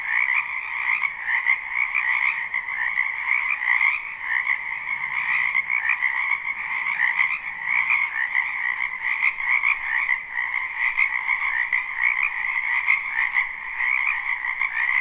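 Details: Spring wetland frogs croaking en masse near a house, live unlooped recording: an unbroken, shimmering chorus of high trills layered in two pitch bands, level and constant throughout.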